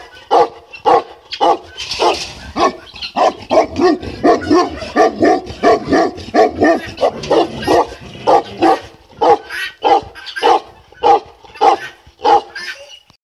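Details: A Tibetan Mastiff in Kraljevo, Serbia, gives a continuous series of loud, resonant barks at a fairly even pace of about one and a half per second, with no other clear sounds.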